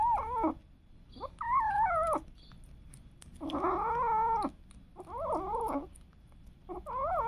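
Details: Domestic cats and kittens; a series of five tonal meows with rising and falling pitch, each about half a second to a second long, separated by brief pauses, in a quiet room.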